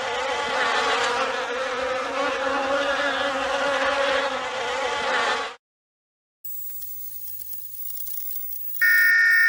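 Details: Bees hum in a thick, steady buzz for about five seconds before stopping abruptly; a pause follows, then faint hiss and a sharp electronic tone at the close.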